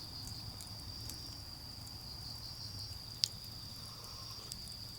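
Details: Steady shrill trilling of autumn insects around a garden campfire, continuous and even, broken only by a few sharp crackles from the fire, including one loud pop, over a low background hum.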